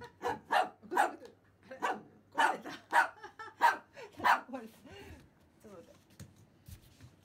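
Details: Pomeranian named Simba, excited on first seeing a remote-control toy rat, barks sharply about nine times in quick, uneven succession, then goes quiet apart from faint indoor sounds.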